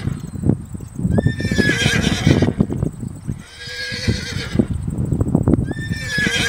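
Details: Horse whinnying in two long shrill, quavering bursts, each a stack of bright tones that rises and then falls away, over a steady bed of low thumping and clatter.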